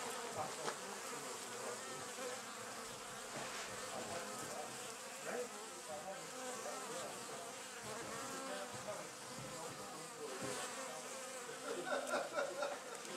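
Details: A dense, steady hum of many Western honey bees buzzing together, with a swell near the end, from a wild colony that has built a hive in an old storage box at an engine museum.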